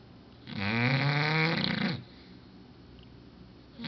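An English Bulldog snores with one long, rattling, wheezy breath in a quiet room.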